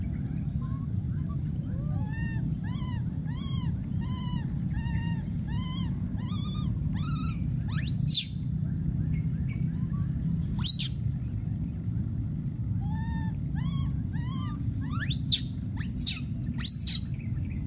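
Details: A wild baby monkey screaming and calling for his friend: a quick run of arched, harmonic-rich cries, then several sharp shrieks sweeping steeply upward, over a steady low rumble of background noise.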